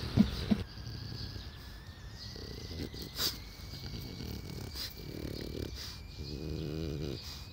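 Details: Old French Bulldog, aged 12, recorded on 6 June 2016. Low, rough snorting breaths and throaty grunts run throughout. Two sharp clicks open the recording, and nasal, groaning tones rise near the end over a faint steady whine.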